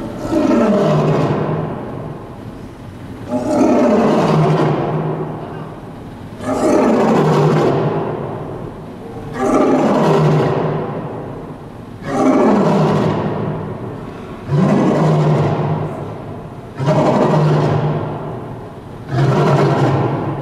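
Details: A captive lion and lioness roaring together at Henry Doorly Zoo: deep, powerful roars, each swelling then tailing off into grunts, repeated about every two and a half seconds, eight bouts in steady succession.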